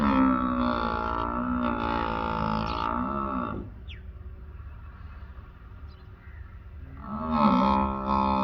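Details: Water buffalo giving long, low, droning bellows, rich in harmonics. One call lasts over three seconds, then a quieter gap, then another bellow begins near the end, over a constant low hum.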